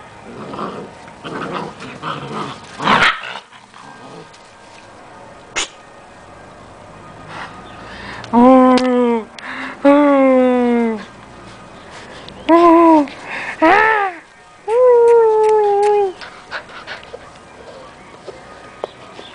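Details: Giant Schnauzer puppies at play give a series of drawn-out, harmonic growl-whines and yelps in bursts lasting about a second each, with rustling and thumps between them and a voice saying "Não!" right after.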